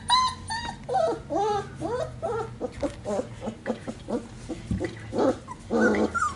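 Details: Penned Sheepadoodle puppies make wavering whimpers and small squeals mixed with low playful growls and scuffling, the whines sliding up and down in pitch throughout.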